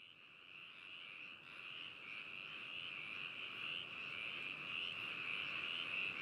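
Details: Frogs calling at Hakushu in Hokuto, Yamanashi, Japan, recorded binaurally on 4 May 2018; a steady dense chorus of trilling calls forms a continuous band, slowly growing louder, with faint distant pulses.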